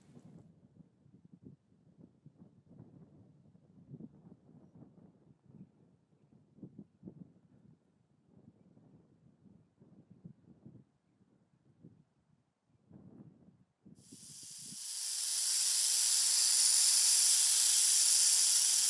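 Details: Pacific gopher snake in Northern California, 30 April 2015, taking a rattlesnake-like defensive stance to scare off an intruder. Quiet rustling and low thumps come first, then after fourteen seconds a loud, steady, breathy hiss runs to the end.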